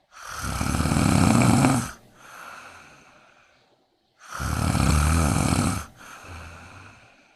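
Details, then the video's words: Sleeping kitten lying next to a person snores in a steady cycle, a loud rough breath lasting almost two seconds, then a quieter trailing exhale and a pause, repeated twice. "Kitten Snoring(for fun)/ cat snores while sleeping next to me!!"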